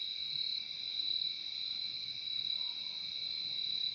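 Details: Steady high cricket trilling, an even, ringing chorus with two close tones that never breaks, heard in a peaceful insect soundscape with only a soft low murmur underneath.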